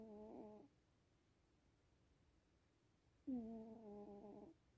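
A Sphynx cat snores in two drawn-out, buzzy, tonal breaths separated by a few seconds of quiet.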